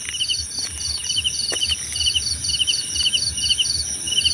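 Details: Cricket chirps repeated quickly in short pulsed bursts, two overlapping high-pitched callers alternating, set against a constant shrill background hum and brief faint ticks.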